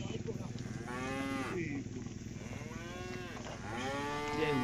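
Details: A herd of tame village cattle driven home together to the pen, lowing in three long arching moos, each swelling and then sliding down, with a faint low rumble in the background.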